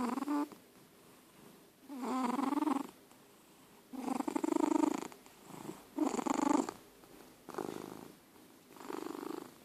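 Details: George, an elderly domestic cat, snores in his sleep: rough, buzzy breaths with a low rattling tone, five bursts in under ten seconds, some short and some drawn out.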